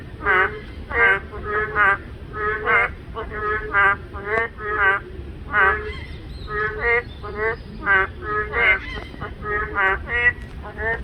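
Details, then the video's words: Boreal digging frogs, males calling to attract females, one answering another more loudly so a group sounds like 'maeng kkong': nasal, harmonic honking notes repeated rapidly in overlapping series, forming a dense chorus with steady background hiss. "맹꽁이 소리"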